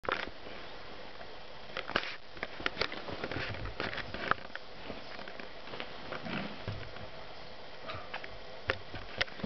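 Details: Twelve-week-old marten kit named Mauzi, kept indoors, tame but very cheeky and soon moving to a barn; quick, soft sniffing puffs run throughout, mixed with light scrabbling and tapping clicks.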